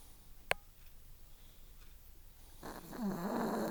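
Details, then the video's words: Napping chihuahua Dixie Belle, a four-year-old female pet, snoring: a sharp click early on, quiet breathing, then a long rattling, wheezy snore building over the last second. "HORRIFIC SNORE from a tiny lil puppy"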